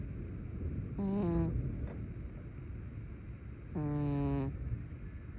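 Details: Cat asleep with eyes open, snoring. Two short, hoarse, humming breaths about three seconds apart, each slightly falling in pitch, over a soft background hiss.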